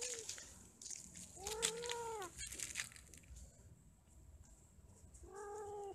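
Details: Cats mating and quarrelling: two drawn-out, harmonic yowls, one arching around 1.5 to 2.3 seconds and another near the end, with faint clicks and background hiss between them.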